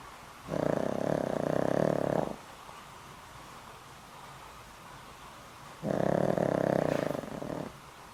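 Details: Loud snoring from Boram, a very old house dog past twenty years with heart problems: two long buzzy, fluttering snores near two seconds each, separated by a calm pause of around three and a half seconds.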